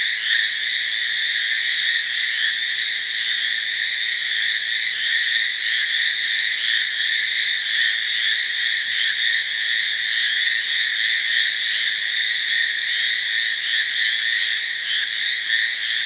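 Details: Hallowell's tree frogs (Hyla hallowellii), Amami and Okinawa islands, call in a loud "gii gii" breeding chorus from shrubs or grass near ponds, wetlands or rice paddies, steady, high, rapidly pulsed and running on without pause.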